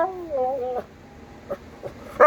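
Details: Pet dog indoors with one warbling yowl that bends up and down in pitch, then a few faint soft sounds, ending on a sudden louder harmonic cry.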